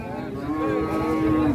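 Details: Jumbo-sized cattle in Indonesia lowing: a single sustained moo, steady and tonal with rich harmonics, holding level before dipping slightly at the end, with faint background murmur.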